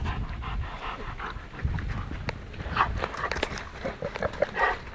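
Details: Kuvasz panting in quick, breathy bursts over a low rumble, with rustling and handling noises around it.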